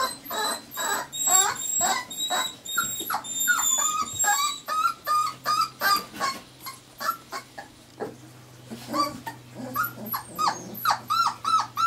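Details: Irish Terrier puppies aged four weeks keep up rapid, overlapping squeaky whimpers and yips, several pups calling at once, with a faint steady low hum underneath.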